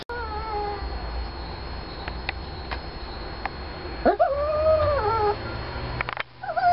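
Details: Japanese Chin dog said to be in love, whining: a faint tonal cry early on, then from four seconds a louder wavering whine with harmonics, rising and falling, a second short whine near the end; steady background hum throughout.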